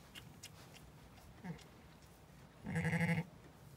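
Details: Zwartbles sheep on a County Kilkenny farm in Ireland during ewe LittleBit's lambing of two ram lambs: one short faint bleat, then a louder, pulsing, harmonic bleat lasting about half a second near the end.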